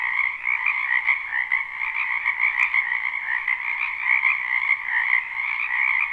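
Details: Many wetland frogs croaking in spring, captured live: a dense, shimmering wall of trilled calls in two pitch layers, gently rising and falling in volume, with a single short click early on.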